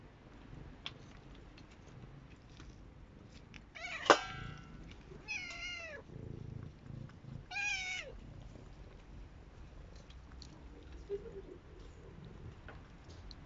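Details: F1 Savannah cat, indoors with a second cat, gives several short rising-falling meows spaced a few seconds apart, with faint background rustling and low room noise.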